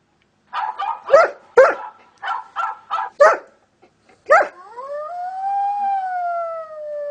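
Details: Reacting to various sounds, a dog fires off a string of clipped barks, then breaks into a long, smooth howl that rises slightly and slowly sinks, held for nearly three seconds.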